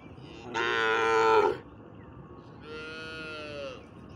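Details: Cow mooing twice: a loud, full, harmonic-rich low moo lasting about a second, then after a pause a softer, slightly rising-then-falling moo of similar length, over a faint background hum.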